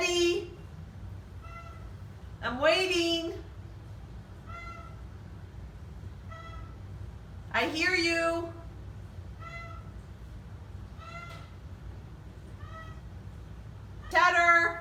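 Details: Oriental Shorthair cats, one of four kept indoors, very vocal on their first day brought into a new home, honking. Loud rising, wavering calls come at intervals, with softer steady tonal calls between and a person coaxing them down.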